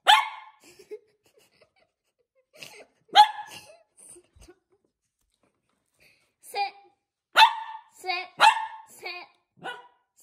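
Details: Miniature Poodle barking while playing games with people: sharp, short high barks singly and in a quick run of three or four, with gaps between; a person gives commands and praise.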